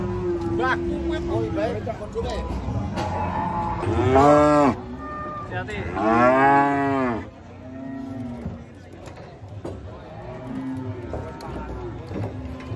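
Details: Several cattle unloaded from a truck and acting up. Two loud, arching moos sound, each lasting about a second, with fainter lowing between them and some background voices.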